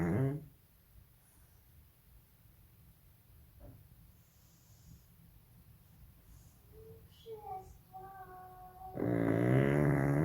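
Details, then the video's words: Molly, a baby pug, asleep indoors: the tail of a loud snore opens the clip, then a long quiet stretch with faint, brief higher tones before another raspy, harmonic-rich snore rises near the end. "Snoring pug"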